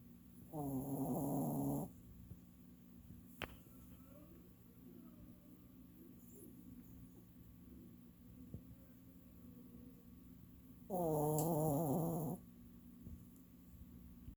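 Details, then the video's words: Old dog asleep and snoring, two long rattling, buzzy snores over a second each, separated by about ten seconds of soft, quiet breathing with a few faint clicks. "My snoring dog"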